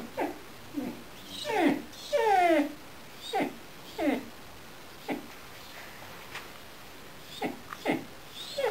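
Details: Loki, a blue-eyed Gerberian Shepsky, reacting strongly to an orange squeaky basketbone toy: a series of short, falling, whiny yelps in irregular bursts, some drawn into longer wavering cries, with quiet gaps between them.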